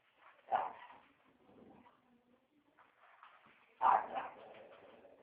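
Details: A dog barking: two loud, harsh barks about three seconds apart, with softer whining and murmuring sounds in between.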